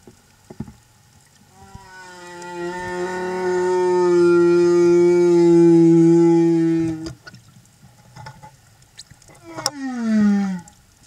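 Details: A male humpback whale escort sings a long, steady, harmonic moan, then a swooping downward whoop, while accompanying a mother and calf; Silver Bank, Dominican Republic, April 2015.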